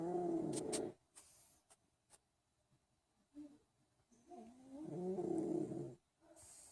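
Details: Sleeping male pug snoring indoors: two drawn-out rumbling breaths with a wavering, whistly tone, one at the start and a longer one midway, separated by near silence and faint sniffs.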